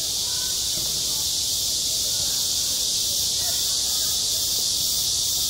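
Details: Summer cicada chorus over a school playground, a steady high hissing drone with no breaks, while faint voices and soft chatter drift beneath it.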